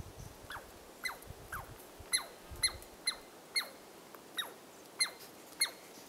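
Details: A Douglas squirrel gives sharp, high, repeated alarm notes, roughly two each second, at Carpenter Saddle on Carpenter Mountain, H.J. Andrews Experimental Forest, Oregon, USA.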